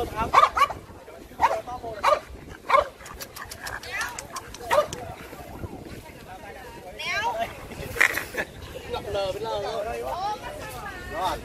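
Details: French Bulldogs at the first meetup of a Hanoi owners' group in Yên Sở park, Vietnam: short, sharp barks burst out irregularly over the first five seconds, one more near eight seconds, with people chatting throughout.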